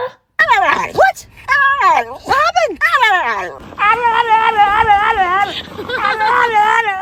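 A dog gives a run of strange, drawn-out whining groans that rise, fall and waver.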